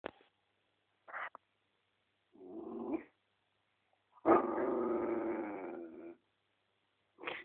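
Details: Mixed-breed dog, four years old, indoors in a bedroom, making noises to get attention or when playful: brief squeaky whines, a low grumbling moan, then a longer growling groan of nearly two seconds, and a final short whine.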